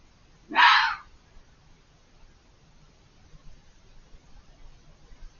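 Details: Hidden fox behind a hedge giving a loud, harsh, broadband scream lasting under half a second near the start, then faint ambient hiss with no other calls.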